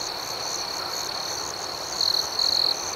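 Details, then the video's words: Crickets at night, a dense high steady chorus with a louder nearby caller trilling in two short bursts near the end over a constant background hiss. "Soothing Cricket Sounds"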